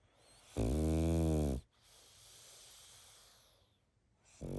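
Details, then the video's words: Snoring of a sleeping pug: one strong, vibrating inhaled snore about a second long, then a soft airy exhale and the start of the next snore. "Как спит мопс?Храп и сопение мопса"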